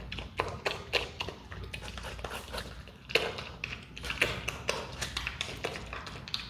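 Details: Hand-raised Himalayan marmot munching watermelon: crisp tapping bites and crunches in bursts with short pauses, fairly loud and close, over quiet low background noise.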